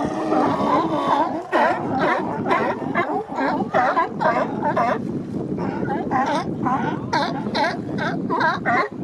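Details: Sea lion males holding mating territories on the Coast Guard pier, Monterey Bay, bark in rapid series, about two per second, each bark a hoarse, nasal, rising-then-falling honk over a background of other animals.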